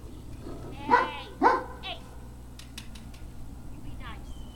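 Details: Great Dane puppies giving two loud, sharp, harmonic barks close together near the start, followed by quieter scattered clicks and a faint rising squeal, with a steady low hum underneath.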